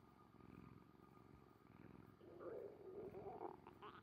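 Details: Orange tabby domestic cat Kuri-chan purring, with the owner's stomach rumbling after a meal; a steady low pulsing rumble for about two and a half seconds, then a brief voice-like tonal sound over the continuing purr.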